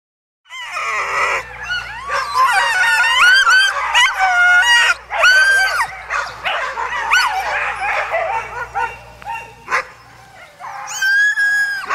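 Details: Alaskan huskies at a sled dog gathering in Målselv, Norway, in September 2009: a loud, dense chorus of many dogs yelping, barking and howling, with high wavering cries overlapping continuously and a low engine hum beneath.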